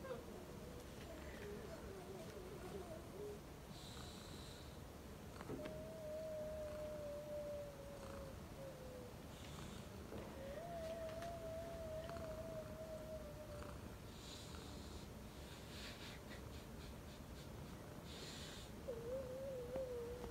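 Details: Purring domestic cat: a low, grainy rumble runs underneath, interrupted by several drawn-out, wavering whine-like tones lasting two to three seconds each, plus brief soft clicks and rustles.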